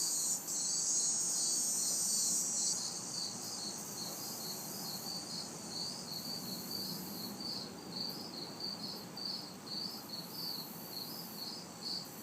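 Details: Backyard chorus of crickets and cicadas on a hot, humid city summer night, high chirps pulsing about twice a second, a bright buzzing burst early on, and soft distant traffic noise underneath.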